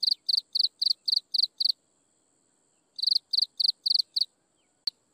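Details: Insects chirping at sunset: high, pulsed chirps repeated about four times a second in two bursts split by a two-second pause, with a single sharp click near the end and no other sounds.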